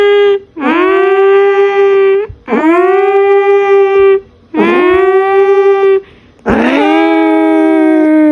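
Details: Pet cat Jinjin, called a true alarm, gives four loud sustained howls roughly every two seconds, each dipping then rising into a steady siren-like tone, indoors with no other sounds.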